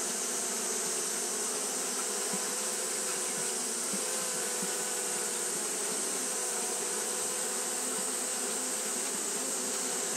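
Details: Japanese honey bees fanning through a hot day give a constant low droning buzz with a few faint soft ticks, overlaid by a steady hiss, otherwise uniform throughout.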